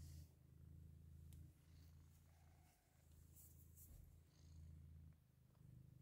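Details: Persian cats with a litter of kittens born less than an hour earlier, indoors: a deep, steady purring rumble runs through the recording, pausing briefly around a third of the way in, with faint rustling and soft clicks above it.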